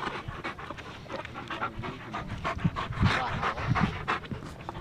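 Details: Pet German Shepherds Nyah and Yogi on a beautiful day, one panting in fast, hoarse, breathy pulses over a low rumble, with faint talking nearby.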